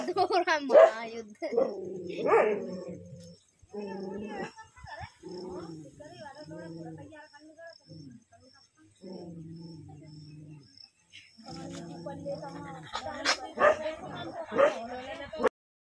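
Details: Village desi dogs locked in a vicious fight in India: harsh growling snarls and yelping barks come in irregular bursts with short gaps, a person speaking over parts of the scuffle.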